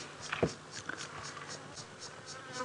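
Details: Cicada's dry, high buzz pulsing about four times a second, possibly alongside a grasshopper, on a hot, clear-skied December summer afternoon safari drive in the African bush (Djuma Game Reserve area), under a brief human voice and faint background noise.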